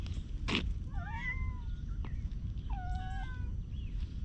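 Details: A stray cat squirms and rubs affectionately, giving two soft, wavering meows that dip and fall, plus a faint short chirp, after a single loud thump, with steady low outdoor rumble throughout; filmed on a GoPro HERO8.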